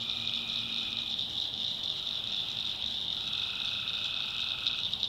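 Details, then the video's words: Night chorus of tree frogs in a backwoods swamp of North Carolina, a constant shrill high band with a held mid-pitched trill entering after three seconds and a brief low drone at the start. "Relaxing Swamp Sounds at Night - Frog Heaven - Frogs, Crickets, Forest Nature Sounds"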